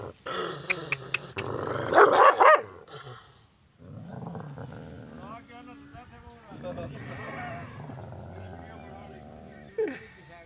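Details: An angry dog barks loudly at a stranger: a burst of rough, harsh barks in the first seconds, then a person talking over low growling and household background noise for the rest.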